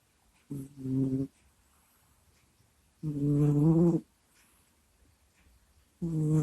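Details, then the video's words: A domestic cat asleep, close to a microphone, lets out drawn-out nasal moans and groans. Three bursts of about a second each come a few seconds apart, with quiet breathing between them. "Прикольный Кот Куся Сопит, Храпит, Стонет и Кряхтит во Сне в Микрофон"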